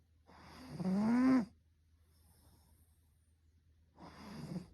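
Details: Russian Blue cat snoring in its sleep, November 8, 2022; one long, loud, rasping snore carrying a rising whistled tone, then a quiet pause of over two seconds before the next breath begins to build.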